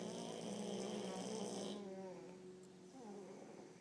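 A French Bulldog snores with a low, rattling, rhythmic rasp that fades after a couple of seconds.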